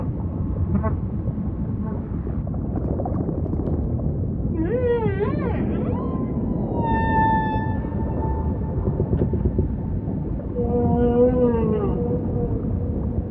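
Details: Humpback whale song over a low ocean rumble: a wavering upsweep, then a steady harmonic moan held near two seconds, and a closing pulsed rising unit with a lower buzzy tone beneath.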